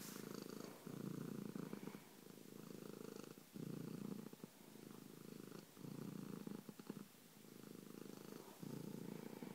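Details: A domestic cat named Bronco Kitty purring loudly indoors. The low, rumbling purr comes in about six long phases, each lasting one to two seconds, separated by brief dips as the breath turns.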